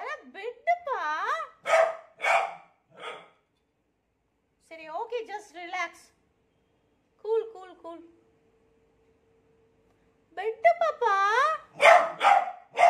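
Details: Scared of a new cot, a beagle alternates rising and falling whining bays with harsher barks in three bursts, with long quiet gaps between them, indoors.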